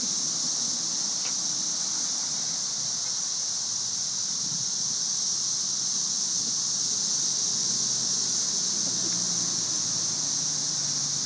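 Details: Thousands of cicadas massed in trees during the May 2011 cicada invasion, a dog named Angel playing with one. A steady, sizzling, white-noise-like drone runs unbroken throughout, with faint low rumbling below.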